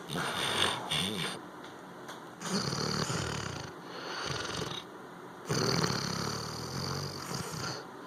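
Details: Sleeping Labrador Retriever snoring in raspy, breathy rasps that swell and fade roughly every second or two, with quiet gaps between breaths and a human voice faintly in the background.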